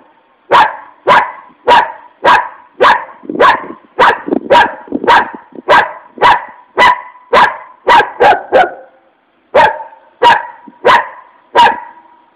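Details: Enraged dog barking steadily, about one sharp harsh bark every half second, with a brief break before the barking resumes.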